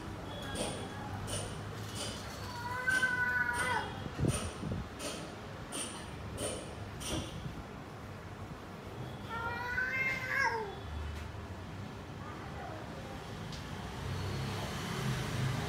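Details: A cat returning after a fight, with injuries; two drawn-out, wavering meows, one early and one near the middle, amid rhythmic clicking, rustling and background noise.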